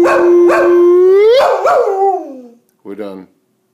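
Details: Male springer spaniel howling together with his owner in a bonding session; a long steady tonal howl that swells and slides downward over two seconds, broken by short yelps, then a brief second howl after a pause.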